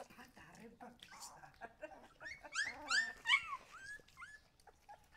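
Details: Husky puppies give soft murmurs at first, then a cluster of loud, bending yelps and squeals, trailing off into a few short whines.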